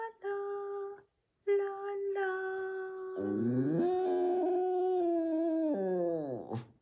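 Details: On an early Sunday morning, a Boston Terrier howls in long, sliding, tuneful notes, joining in as his owner sings to him.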